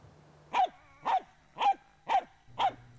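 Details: Finnish Spitz, a Finnish hunting breed used on moose, raccoon dog and marten, giving five sharp, evenly spaced barks about every half second, each a bright clipped yelp, over a faint low hum.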